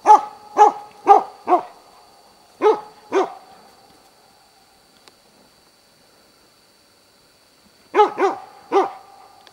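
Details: Dog bay-barking to hold three moose, a cow and two calves, at Båthussjön, Huskölen, Sweden, 2008. Loud harsh barks come in bursts of four, two and four, about half a second apart, with a quiet pause between bursts and a faint steady high tone.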